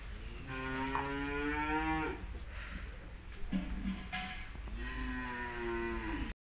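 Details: Cow in Balochistan mooing: long drawn-out lowing calls with strong layered tones, one near the start lasting about two seconds and another near the end, with a short softer call between and steady background hum.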